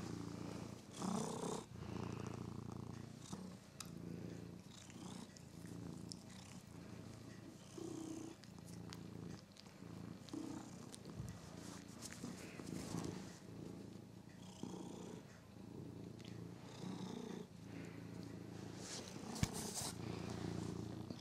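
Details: Pet cat Figaro purrs continuously while playing with his favourite toy mouse, a deep, pulsing drone held throughout, with light rustling and occasional sharp taps from the toy.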